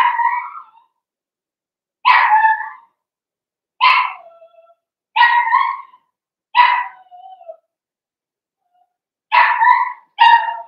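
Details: Puppy pen of blenheim Cavalier King Charles Spaniels, a litter of five born on New Year's: steady high-pitched barks about every one to two seconds, some ending in a falling whine, closing with a quick double bark.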